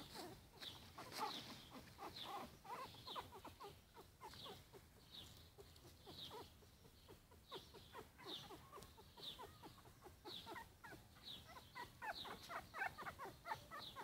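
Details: Four-week-old Yorkshire Terrier puppies squealing and whimpering continuously, rapid high squeaks repeated several times per second with occasional longer whines, a busy, overlapping chorus throughout.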